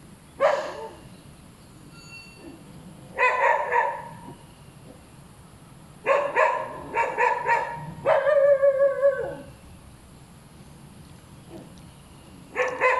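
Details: Noisy dog barking repeatedly: single barks, then rapid double and triple barks, one drawn-out howling whine with rising-falling harmonics near nine seconds, more barks after a pause.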